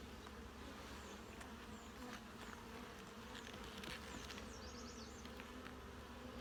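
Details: Hive of honey bees opened for inspection of brood frames; a continuous low buzzing drone fills the recording while faint high chirping calls, likely birds, flicker above it.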